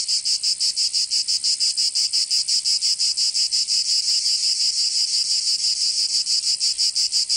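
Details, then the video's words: Cicadas singing in summer in Provence, southern France: a loud, dense, buzzy high-pitched drone pulsing rapidly about three times per second, steady throughout with no other sounds. "Canto Cigarra 🦗 [ Escuchar les cigarras en verano 10 H]"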